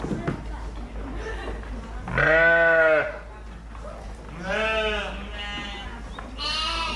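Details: Fluffy sheep bleating three times: a loud, strongly quavering baa, then a softer shorter one, then a thinner higher-pitched bleat at the end, with low background rumble between calls.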